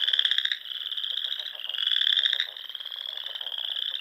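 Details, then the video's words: Frog chorus at dusk in spring among ponds of the Nebraska Sandhills, with two loud buzzy pulsed trills of about half a second over a continuous high trilling background. "RELAXING SOUNDS OF FROGS"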